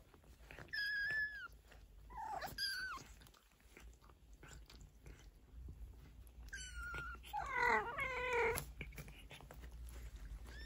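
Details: A Maine Coon mother cat trills and mews, talking to her 15-day-old kittens, which answer with thin, high cries.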